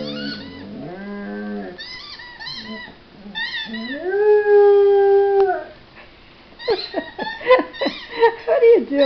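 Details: A puppy howls indoors while playing with new toys: wavering, moaning yowls, then a long, steady, drawn-out howl lasting over a second, followed by short choppy yelps. A person's voice is heard near the end.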